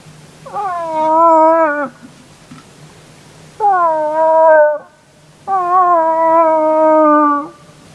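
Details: Moose in the rut, recorded the previous evening, several animals including a big bull calling back in response to a hunter's calls; three long, drawn-out moaning wails, each lasting one to two seconds, with a slight waver and a falling end.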